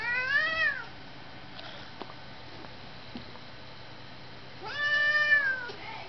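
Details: Two tomcat brothers, an orange tabby and a grey, fighting: two drawn-out wavering yowls, one rising then falling, about four seconds apart, with quiet background hum between.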